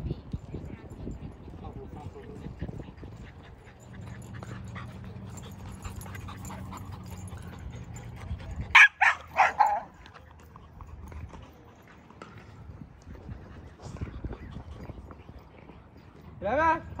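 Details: Returning to an old dog park, a dog lets out a burst of four loud, abrupt barks roughly halfway through, framed by steady low ambient rumble, with a brief rising whine-like sound at the close.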